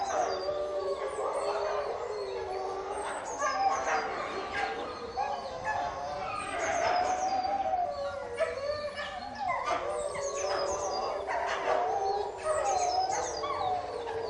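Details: Pack of caged wolves howling while fighting, a dense chorus of overlapping mid-pitched howls broken by harsh noisy bursts and snarling scuffles that come in waves.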